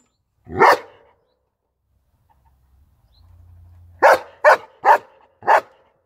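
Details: German Shepherd barking: a single sharp bark, a pause of about three seconds with a low hum, then four quick loud barks in a row.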